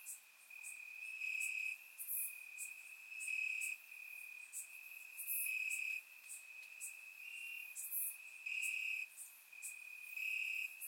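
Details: Crickets chirping at night in summer grass, Bulgaria, captured with a surround microphone; an unbroken high trill with frequent brighter bursts about every one to two seconds and scattered piercing clicks above.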